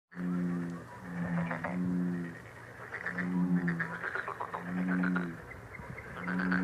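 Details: Frogs presented as a lucky, relaxing healing sound: low, harmonic, hooting notes of about half a second repeat irregularly under a dense chorus of rapid higher trilled pulses.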